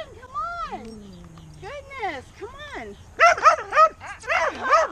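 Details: Tonka the Alaskan Malamute, thrilled to meet friends again, starts with soft arching whines and a low trailing groan, then bursts into a quick, louder series of bouncing yips and woos.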